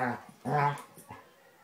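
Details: Basset Hound Tracker roughhousing in play with new puppy Ranger; two short harmonic barks or growling yelps, the second longer and louder, followed by fainter vocal bits.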